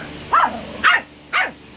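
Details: A purebred Yorkshire Terrier puppy, 12 weeks old, lets out three quick, high-pitched yaps in under two seconds, sharp and bright, over a faint steady hum indoors.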